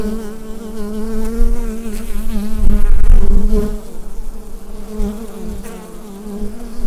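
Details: Bees humming in their hive, recorded on a Rode NT-USB microphone; continuous low droning with layered harmonic bands and a louder rumbling surge around the middle, then settling back to an even buzz.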